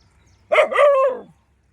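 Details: Street dog of the ANJI pack in open rural land, chasing away wild boars, gives one loud harsh bark-yelp, falling at the end and lasting under a second, with quiet background before and after.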